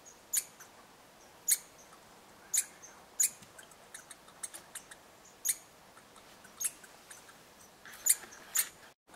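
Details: Red squirrels interacting at a bird hide in eastern Canada, giving short, very high sharp ticks and chirps, single clicks spaced about a second apart with a quick double near the end, over a quiet background.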